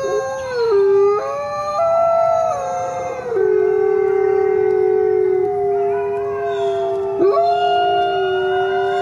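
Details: Coyote chorus of overlapping howls at stepped pitches that shift up and down, holding long notes with a brief upward break near seven seconds.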